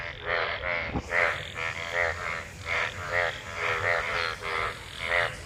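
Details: Frogs gathered in rainwater after monsoon rain while mating; rhythmic pulsed croaks with a buzzy harmonic quality, about two per second, overlapping callers, one sharp click near the start.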